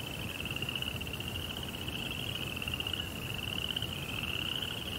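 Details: Crickets at night in a Japanese rock garden with a koi pond give a steady, high, ringing trill that runs on without pause over a soft low rumble.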